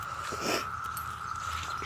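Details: Periodical cicadas of Brood V in a June 2016 Ohio woodland at a former Girl Scout camp, where many adults have just emerged, chorus in a steady, even droning whine that holds one pitch throughout.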